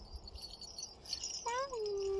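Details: Sociable, dog-like house cat begins a long meow that rises, then eases into a steady drawn-out tone, after a stretch of faint high tinkling like chimes and soft background noise.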